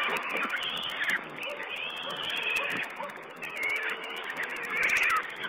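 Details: Piglets of wild boar squealing while feeding, caught by a remote camera on 19 April 2010. Drawn-out, reedy squeals with wavering pitch repeat across the clip above a constant crackling background.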